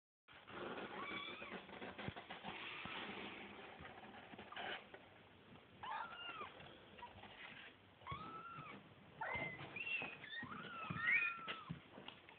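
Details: Several kittens about to be fed mewing in overlapping rising-and-falling cries, sparse at first and growing denser and shriller toward the end, with background rustling.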